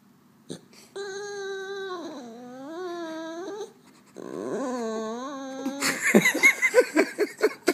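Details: French Bulldog making funny noises indoors: two long, nasal, wavering whines that dip and rise in pitch, each lasting about two to three seconds, followed by a run of rapid snorting, grunting pulses.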